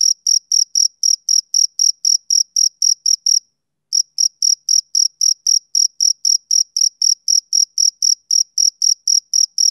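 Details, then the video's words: A male cricket chirps through a summer evening in fast, high, metallic pulses, pausing once for about half a second midway before the steady rhythm resumes; quiet background. "Cricket Chirping Sound Effect"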